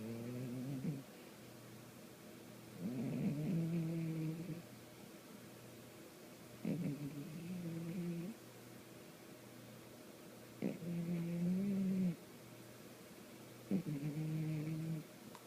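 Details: Sleeping pet cat in a small room, snoring with deep, nasal, buzzing breaths of one to two seconds each, each opening with a sharp catch, repeated at slow uneven intervals.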